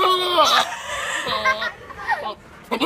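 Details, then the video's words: Goat making strange, wavering bleats with a bright, nasal tone, several pitch bends and a wobbling, falling cry, followed by shorter broken calls and a brief final burst. "Goat Makes Weirdest Noises"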